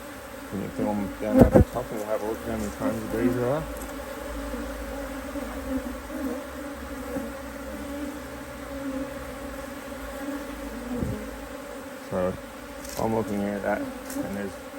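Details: Colony of honey bees in a Hive IQ beehive, Australia, almost mid-autumn 2023, working strongly in fine weather while a keeper adds another box: a continuous low buzzing drone, overlaid early and late by a person talking and handling noises.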